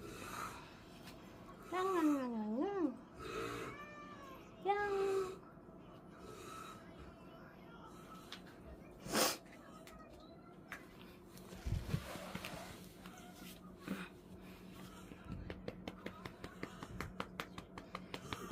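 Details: Pet cat being affectionate indoors on New Year's Day, 1 January 2025: a few wavering, bending meows early on, then quieter shuffling and clicks, with a woman talking softly to it in Korean.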